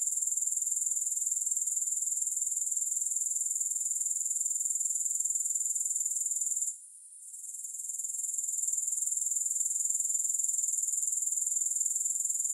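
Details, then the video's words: Dense, shrill grasshopper trill with no music, rapid pulses running evenly at a high pitch, interrupted by one short silent gap partway through before the constant buzzing returns. "3 Hours of Grass Hopper Sounds"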